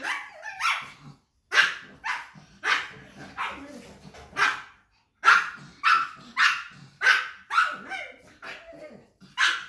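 A pug barks in short, sharp bursts, roughly one every half second to second.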